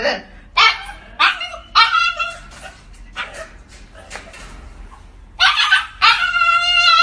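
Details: Siberian Husky pet dog vocalizing in repeated harmonic howling yips and woo-woo calls, several short bursts rising and falling, the last ones longer and louder, with low background hum.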